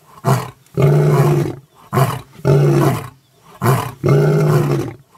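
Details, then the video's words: Mapogo lions in the bush, with an elephant feeding nearby; deep roars in three rounds, each a short grunt followed by a longer, powerful roar, about every 1.7 seconds. "Mapogo roars the entire bush-veld shivers with fear"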